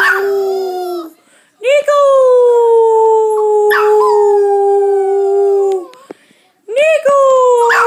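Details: Young puppy, eight weeks old, howling: one howl trails off, then a long drawn-out wail that starts with a slight rise, slowly droops in pitch for about four seconds, and a third howl begins.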